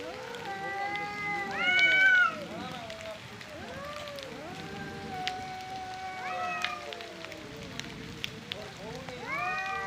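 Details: Angry male cats in a fight over territory and breeding, producing sustained, crying yowls with rich harmonics. Pitch swells upward into sharper, louder wails near two seconds and again later, with calls overlapping between the two animals.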